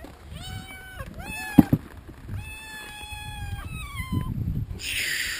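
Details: Hungry farm cats at feeding time, excited for food; several drawn-out, clear meows, some level and some falling at the end, over low rustling and shuffling.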